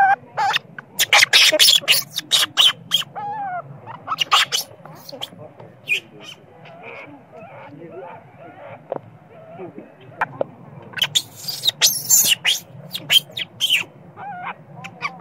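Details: Spoiled baby monkey crying and screaming at its mother when sleepy: rapid harsh shrieks in irregular bursts, with squealing tonal whines between them, loudest at the start and again near the end.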